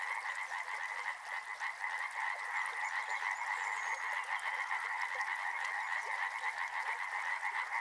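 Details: By a river, a dense frog chorus of rapid, overlapping croaks fills the air without pause.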